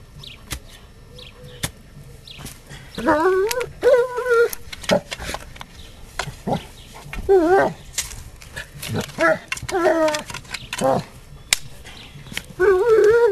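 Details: Astor, a pet German Shepherd, digging at a screen in a garden during garden works; high harmonic whines and yelping barks come in bursts, some rising and falling, with knocks, scraping and a man's voice between.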